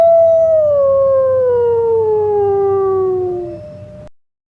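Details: Wolf howling: one long, clear, tonal note with rich overtones that starts fairly high and slides slowly and smoothly downward for about three and a half seconds before fading, over a faint low hum.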